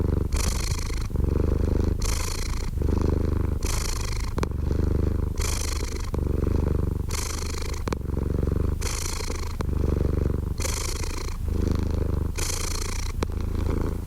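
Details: Cat purr, low and rumbling, pulsing in regular breath cycles of roughly a second and a half each; nothing else audible.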